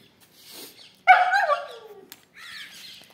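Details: Kittu, a female Siberian Husky, thrilled at being told she is going out, lets out a loud harmonic howling whine that falls in pitch over about a second, with softer noises before and a brief higher cry after.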